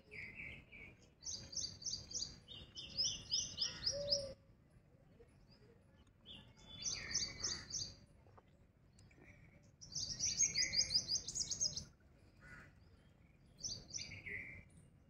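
A squirrel calls in bursts of shrill, rapid chirps, each run several seconds long with brief quiet gaps between. Faint low background noise sits beneath the calls.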